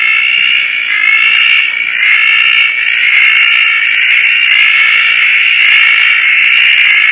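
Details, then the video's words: Roth's tree frogs at Koah on a rainy night, with several frogs active: a loud, continuous, grating chorus whose bands waver and surge roughly every second, accompanied by faint high insect-like shimmer. "koah frog series - roth's tree frog"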